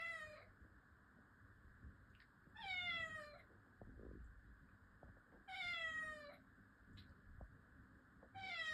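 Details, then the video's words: Domestic cat meowing indoors: four drawn-out, harmonic meows, each about a second long, coming roughly every two to three seconds with a slight falling pitch, over a steady low background hum. "Sound of a cat. Meowing"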